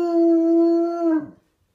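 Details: Domestic hound howling indoors toward a neighbour's dog: one long, steady, strongly tonal held note with rich harmonics, lasting just over a second, then sliding downward and cutting off into silence.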